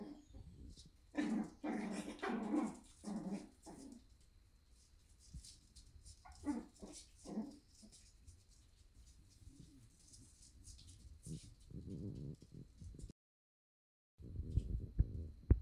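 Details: Morning at a Netherlands breeder, with Shiba Inu puppies giving bursts of rough yelps and whines. The cries come in clustered runs, then fall to quieter grumbling sounds, with a brief gap and low rumbling noise near the end.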